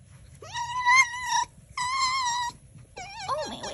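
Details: Fox indoors on Halloween giving three high, squeaky whines with rich harmonics, the first rising then held, the second level and steady, the third wavering and dropping.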